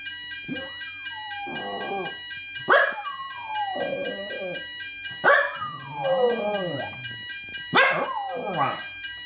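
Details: Jack Russell Terrier howling along to a weekly Thursday fire alarm test indoors: three long wavering howls, each starting with a sharp rise and then sliding down, over the steady high electronic tone of the alarm.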